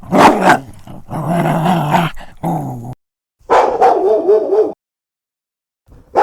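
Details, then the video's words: Several dogs of different breeds, large and small, barking and growling in a dense run of rough, overlapping barks, broken by a brief silence, with a harsher bark starting right at the end. "51 Cachorros Latindo - Som de Latido de Cachorros Variados"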